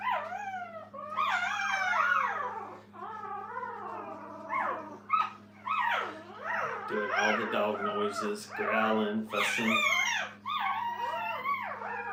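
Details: A litter of puppies with their mother Minnie at a training kennel: many overlapping wavering whimpers and yelps pile up continuously for twelve seconds, several pups crying at once, with quiet human speech and a low hum underneath.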